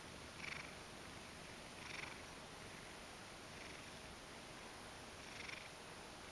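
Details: Ragdoll cat, half asleep while basking in the sun and making sleepy kneading-like movements, gives a quiet, steady low purr with soft breathy swells rising about every one and a half seconds over a faint hiss.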